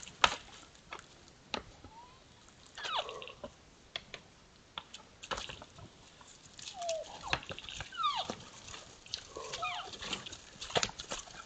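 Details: Sparring sambar, two animals, making strange short squeaks and downward-sliding whines, some in quick clusters, set against frequent sharp knocking clicks.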